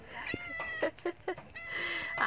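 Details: Stranded pet cat that climbed but cannot descend, meowing: a short cry, then a few sharp clicks or taps, then a long, level, plaintive meow, with a person coaxing it to come down.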